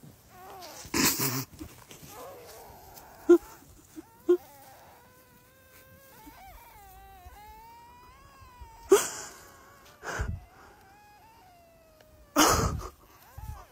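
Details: Dog howling in a long, wavering moan that rises and falls over several seconds, interrupted by a few loud, sharp thumps.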